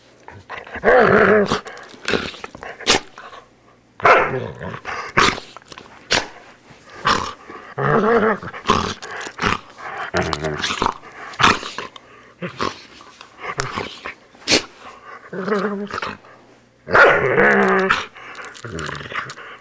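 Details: Groomed poodle snarling and barking in repeated rough bursts, some tonal and wavering, spread across about twenty seconds, with the loudest outburst near the end.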